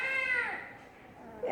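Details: Sleepy cat named Karuppachi crying loudly when picked up: a long, wavering meow falling in pitch over about half a second, followed by a short second cry, amid a person's voice.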